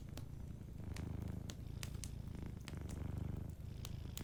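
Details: Close, dominant purr of a sleeping cat: a rich low vibrating hum pulsing in breath-length waves, with faint fireplace crackles ticking over it.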